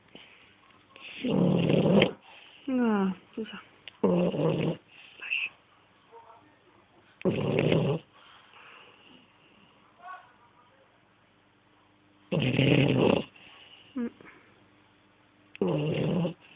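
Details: French Bulldog snoring: rough, broadband snorts of under a second each, repeated at irregular gaps of one to five seconds, with a few brief squeaky gliding sounds between them.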